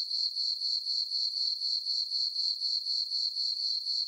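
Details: Brief stretch of crickets chirping in a moonlit summer meadow on a farm at night, a piercing high ringing note beating steadily about four times a second, alone.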